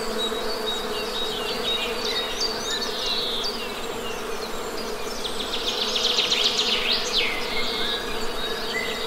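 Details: Honey bees buzzing in a steady, unbroken low drone, while birds chirp and whistle in quick high bursts above, louder near the end.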